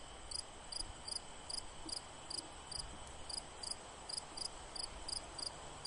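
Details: Rapid high chirps from a cricket, each a brief doubled pulse, recurring roughly every third of a second over steady broadband noise.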